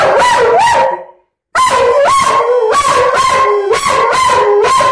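A Huntaway dog howls in long, wavering tones that slide up and down in repeated phrases.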